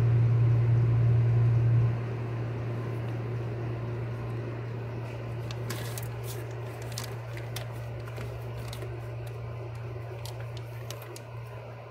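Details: A steady low electrical hum fills a small room, with faint clicks and rustles and no animal calls.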